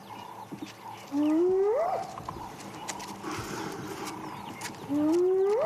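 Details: Wild spotted hyena at Sabi Sand giving a final contact call at sunrise on 9 April 2016, with another hyena answering: two rising whooping calls that swoop upward, one near the start and one near the end, over soft birdsong.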